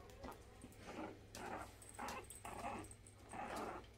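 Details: Havanese puppies playing indoors on a morning: five rough, noisy growling bursts, each about half a second long, come in a steady run with short gaps between them, over a low room hum.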